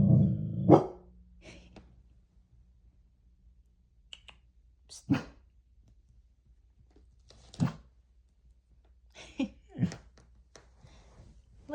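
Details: Pet dog Baha guarding the home indoors against a delivery person: a burst of loud, deep barks at the start, then single low barks every two to three seconds, with a person softly reassuring it between them.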